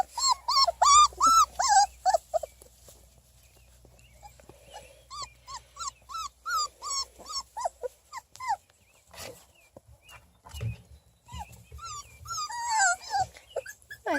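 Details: Three-and-a-half-week-old Beagle pups from a litter born June 1, 2018, playing outdoors: bursts of thin, arching whines and yelps repeated about three per second, a quiet pause, then a second run of squealing cries and rustling.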